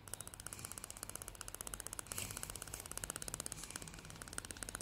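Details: Female greyhound Salty chattering her teeth in happiness indoors, a steady machine-like rattle of sharp clicks, about four to five per second, with a louder rustle midway.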